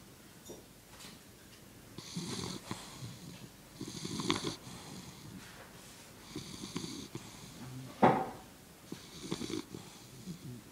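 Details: English Bulldog asleep on its back with all four legs in the air, snoring indoors: raspy, rumbling snores come in bursts about every two seconds, with one louder snort near the end.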